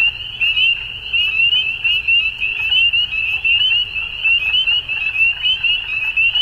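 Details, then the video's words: Frogs calling at dusk: a dense, continuous high-pitched trilling chorus that holds steady throughout, with many overlapping pulsed calls and faint lower rustling underneath. "Frogs At Dusk"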